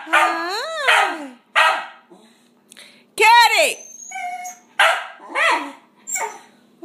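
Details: Sealyham terrier barking repeatedly, with arching whining yelps mixed in between rough barks and a faint steady hum behind.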